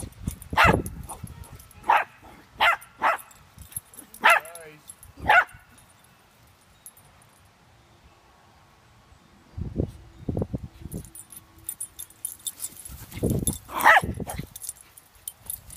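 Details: Shih Tzu named Jersey at a play date with another Shih Tzu puppy: a run of short, sharp barks spaced about a second apart, then a quiet stretch with low thumps and a final pair of yips.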